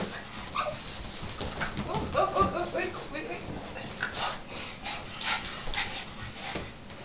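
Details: Shirley, a pet dog, frustrated while watching a giant balloon being hit indoors, gives short high whimpering yips around the middle, among sharp tapping thumps and a person talking.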